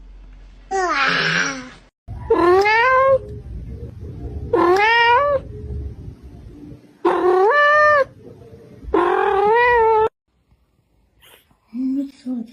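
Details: Domestic cat, described as sounding oddly like words, meowing loudly five times at roughly two-second intervals. Each wail rises and then sags in a wavering, talk-like contour over a faint room hum, and a softer murmur follows at the end.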